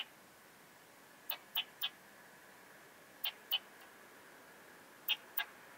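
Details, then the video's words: Common saw bush-cricket singing at Starnberg, Germany, on 18 July 2023, captured with a Pettersson D 100 ultrasound detector: short, dry, broadband clicks in twos and threes, groups spaced roughly two seconds apart, over faint steady hiss. "Barbitistes serricauda -- Laubholz-Säbelschrecke -- Common Saw Bush-cricket"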